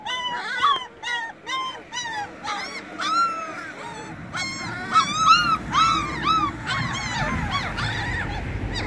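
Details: Puppies, eyes just opened, busily cry out for their missing mother. Bursts of curved, whining yelps repeat about twice a second, several pups overlapping, over a low rumbling background.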